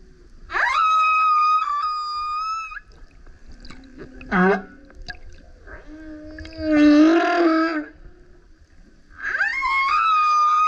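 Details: Loud song of a male humpback beside a kayak: high steady harmonic wails, a short rising sweep, a deep burping roar with rough texture, then another rising moan, units spaced by quiet pauses.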